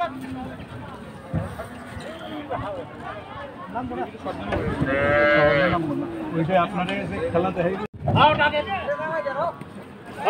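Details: At a crowded cattle market where a wild-tempered cow causes uproar, one long, full-bodied moo swells in the middle, surrounded by shouting men, crowd babble and bursts of handling noise.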